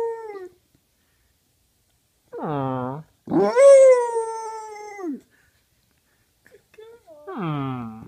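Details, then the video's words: Pet dog howling lazily indoors in a small room, making voice-like sounds meant as "I love you": short falling moan, then a longer sustained steady tone over a second and a half, ending with a rough, growly descending wail. "howls lazily and says I love you"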